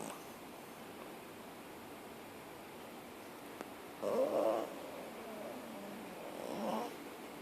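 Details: Pepper, a sleeping puppy, lies on the lounge on a lazy Saturday afternoon and snores. Two soft, breathy, rasping snores come about four seconds in and again near the end, fainter the second time, over a quiet indoor hiss.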